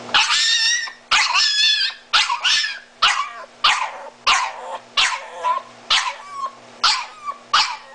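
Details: Disabled, blind Miniature Italian Greyhound screaming for mommy: about nine loud, high, wavering yowls with strained harmonics, each under a second, separated by short gaps, with a faint steady hum underneath.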